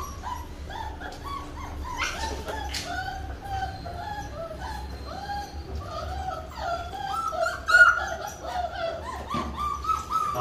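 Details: Labrador Retriever puppies during their first ever bath, giving repeated high whimpering and whining cries, short yips rising and falling, with splashing water and soft background noise.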